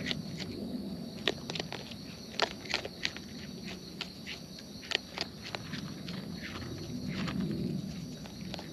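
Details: Raccoons in the wild eating, heard close: a steady run of sharp crunching chewing clicks, several per second, over a soft outdoor hum.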